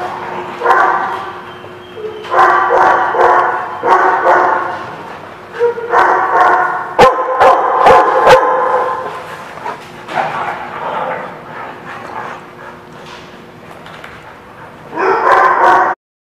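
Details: Dogs recorded 3/6/17 barking and yapping in repeated clustered bursts about every two seconds, with sharp clicks midway and a final loud outburst before an abrupt stop.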